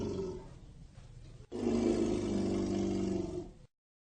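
An elephant gives a deep, harmonic roar that swells suddenly after a brief quiet murmur.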